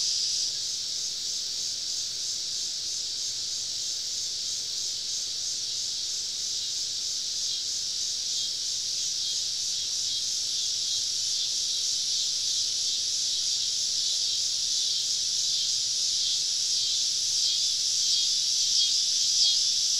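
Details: Southern summer evening in the woods, with a cicada chorus surrounding a camping spot; a high, rapidly pulsing buzz, about four pulses per second, growing slowly louder toward the end.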